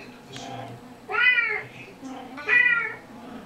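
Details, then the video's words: Played-back kitten recording for household cats indoors: two loud, drawn-out, harmonic meows about a second and a half apart, each rising slightly then falling away. "Playing a kitten audio file for the cats"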